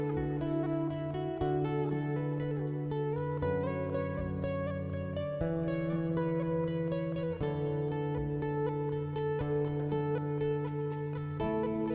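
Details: Plucked string music plays throughout, a zither- or guitar-like melody over a steady low bass line, with no animal sound.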